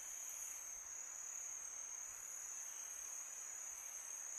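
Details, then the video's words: Summer-night crickets keep up a constant, thin, very high ringing trill, layered voices blending into one steady tone over a faint breezy background. "Crickets sound for meditation"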